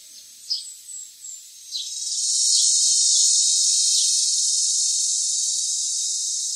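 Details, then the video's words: Philippine cicada heard near the foot of the mountains in Pit-os and Bacayan barangays, Cebu City, Philippines: a few short high chirps, then a loud, steady, shrill buzzing drone that swells in and holds to the end. "The Eerie CRY of the Philippine Cicada"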